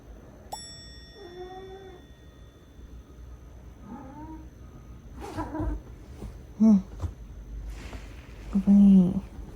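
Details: Male British Shorthair cat, sulking and then greeting its owner as she returns, makes several short chirping meows a few seconds apart, mixed with a woman's Korean speech and household clatter.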